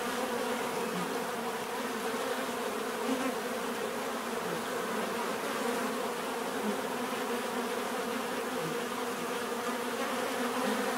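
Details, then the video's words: Bees produce a thick, constant buzzing drone, with occasional nearer individuals briefly standing out from the even hum of the group. "bees therapy relaxing natural buzzing sound"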